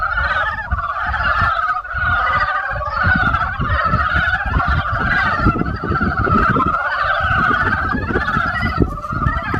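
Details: Many frogs in spring form a loud, unbroken chorus of overlapping croaks, steady throughout, with a rumbling low noise like wind or handling underneath.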